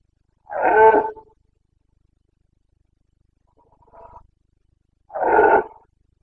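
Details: Carpathian red deer stag roaring in the Bucovina mountains, Romania, during the September breeding season: two loud, rough, harmonic-rich bellows about five seconds apart, with a fainter distant roar between them in an otherwise quiet setting.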